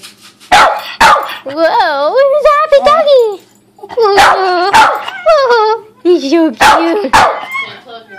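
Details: Molly, a 13-year-old Cairn Terrier, barking and getting excited at six in the morning: sharp loud barks in pairs alternate with high wavering whines and yelps, with a woman's voice faintly heard.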